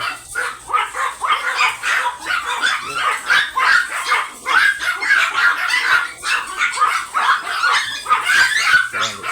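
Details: Ramboo, an imported long coat Chihuahua stud dog at Laoac, Pangasinan, barks in quick, sharp, high yaps, bursting out roughly twice a second with short pauses between runs, while faint voices sit underneath.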